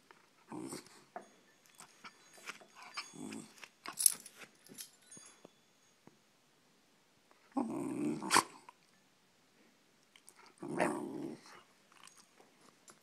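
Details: Shiba Inu at home voicing a grouchy grumble over its owner's long working hours, with a cluster of short rough growls followed by two separate louder low bursts after pauses.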